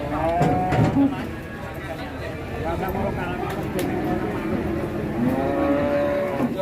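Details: Fat cattle at the Ngawi market, three truckloads bought for the journey west, utter short, softer moos near the start and end, half buried under busy human chatter and clatter.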